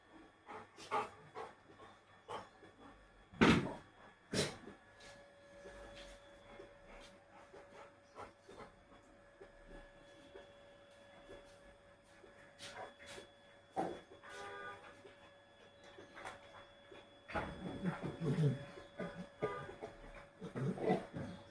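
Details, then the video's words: Rottweilers playing indoors in the morning; a dog pants and snuffles with scattered thumps and knocks, short bursts of rough vocal noise near the end, and a person speaking Bengali calls out between sounds, with a steady electrical hum throughout. "morning mein sab khel raha hai #rottweiler"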